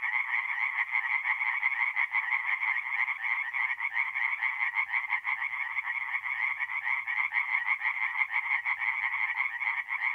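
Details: Night chorus of singing tree frogs at a woodland pond in north-east Italy, mid-April; rapid nasal croaks overlap irregularly in a constant dense throb, with a faint low rumble beneath.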